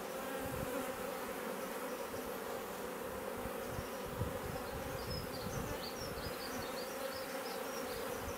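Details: Honey bee swarm moving into a bait hive in a garden in Leicestershire, England, in June 2020, bees coming and going; a steady, dense hum with bright bands low in pitch, faint chirps from birds in the background.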